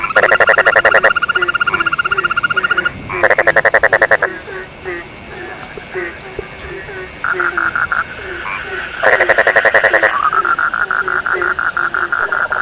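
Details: Dense frog chorus in which loud, rapid pulsed trills burst out for one or two seconds at a time over a steady line of short low croaks repeated several times a second.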